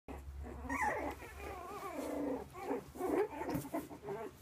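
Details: Havanese puppies vocalizing together: rough, rumbling growls mixed with wavering, whiny tones that rise and fall, in near-continuous overlapping bursts with a steady low hum behind.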